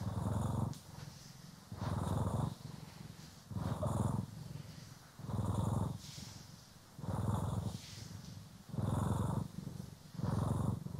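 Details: Cat purr from Poki or Kiwi while groomed and brushed, stereo recording; deep pulsing rumble with strong swells roughly every one and a half to two seconds, brushing swishes between.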